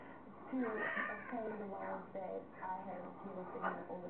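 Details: Balinese and Siamese cats, Duddits and Fe-Fe, indoors during mating; drawn-out wavering yowls rise and fall in overlapping waves, with human talking mixed in.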